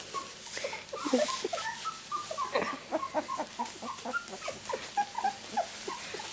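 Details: Rosie's miniature Labradoodle pups, two weeks old and born on 31 July 2009, squeal and whimper together in quick, thin, rising peeps. The calls are densely overlapping, with a brief louder squeal near the start and a soft human voice close by.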